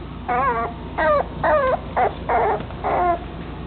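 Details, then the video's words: Male puppy of a chocolate dapple long-haired dachshund, whimpering in six short wavering, tonal cries with quaver-like bends, each under half a second and spaced by brief pauses, in a quiet indoor room. "巧克力花長毛臘腸 -公幼犬"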